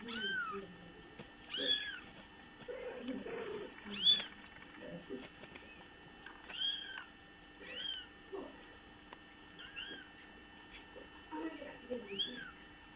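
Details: Bengal kittens just being born call with short, high, curved mews at irregular intervals of one to three seconds, with faint low rustling and murmurs between calls.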